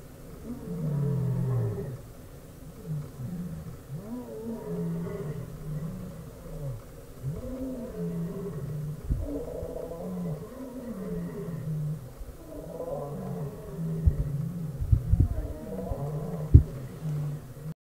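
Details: A lion (Panthera leo) in Kruger National Park, resting with his pride under a small tree, roars back at lions roaring across the road. His roar comes in deep, rumbling bursts, rising and falling in a steady series of heavy grunts.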